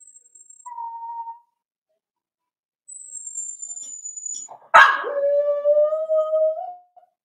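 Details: Four-week-old Cavalier King Charles Spaniel puppies in a home puppy pen, meeting other dogs and trying puppy mash: a thin high squeak, a short steady whine, then a louder sliding whimper that levels off into a long tonal cry.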